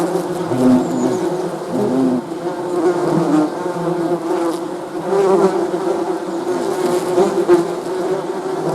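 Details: Many honey bees humming together, a rich droning buzz with occasional higher-pitched whines from single bees flying close, steady throughout.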